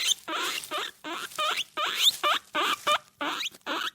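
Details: A caged guinea pig gives a rapid run of high, squeaky calls, about two every second.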